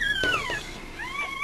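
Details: Newborn Mame Shiba Inu puppies from Rin's first litter at Mameshiba Village Housansou kennel in Japan. Two drawn-out, whining squeals, the first falling and the second rising then levelling, over soft background music.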